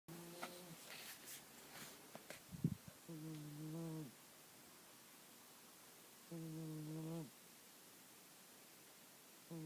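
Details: A sleeping female cat snores loudly with low, droning buzzes, each lasting about a second and returning every few seconds.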